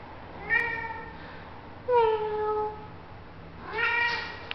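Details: Cat lying in a cardboard box, sleepy and kneading the air, meows back at its owner: three short meows, the middle one loudest and falling in pitch, indoors.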